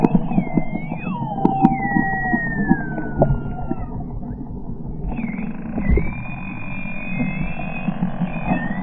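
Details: Short-beaked common dolphin whistles, captured on 15 June 2020 aboard a whale-watching boat from Reen Pier with enhanced sound: long gliding tones, one falling steeply, then overlapping rising whistles, over low boat rumble and scattered clicks.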